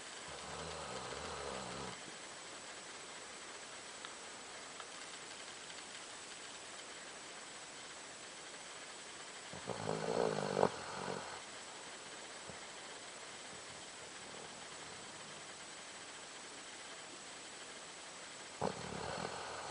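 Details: A Doberman dog snoring, compared to a man's snore: three separate snores of about two seconds each, separated by long quiet gaps filled with steady low background hiss.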